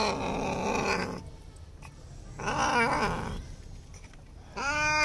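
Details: Simba, a Bengal cat frightened of bath time, cries in long harmonic meows, one wavering in the middle and another starting at the very end, over a steady background hiss.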